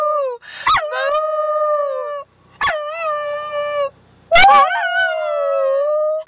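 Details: Brodie, a male Schnauzer, howls at the moon together with a person, three long, wavering tonal howls with rich overtones, each lasting one to two seconds, separated by short sharp yips and brief pauses.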